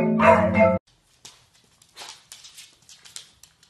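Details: Beagle puppy letting out a single loud, harmonic bark lasting under a second. Soft rustling and clicking noises follow.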